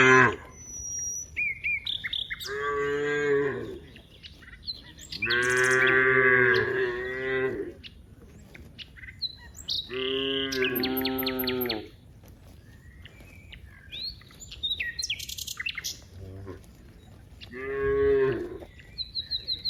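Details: Cows from a herd of dozens in a wide rice field low repeatedly, with about five long, loud moos spaced a few seconds apart, while small birds chirp and twitter high in the background.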